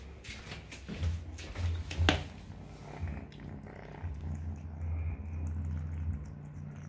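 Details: Three-month-old kitten eating mealworms indoors, low rumbling purr under bursts of crunching and sharp chewing snaps, with the rumble continuing steadily near the end.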